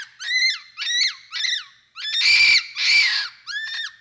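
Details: Capuchin monkey uttering six loud arched squeals, each rising then dropping, roughly one every half second; the middle two are harsher and more screechy, with a faint low rumble beneath them.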